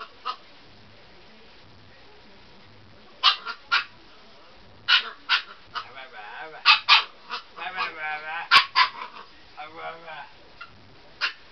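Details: Husky puppy Fiona barks and yaps during bedtime play on a bed. High, excited barks come in irregular clusters, mixed with wavering whiny vocal sounds and a person talking softly in the background.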